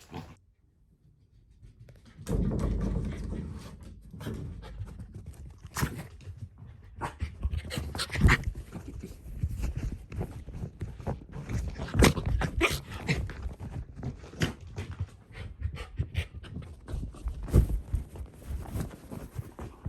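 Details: Shiba Inu Ranmaru indoors, excited on discovering his older sister, back after three months, hidden under a blanket; rapid panting breaths with repeated thumps and scuffling as he races around the blanket.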